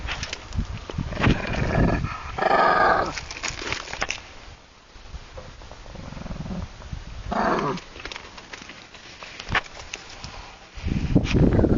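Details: Playful growling from a Shih Tzu romping with a Golden Retriever: short gruff growl bursts near the start, middle and end, with quieter stretches of shuffling and movement between them.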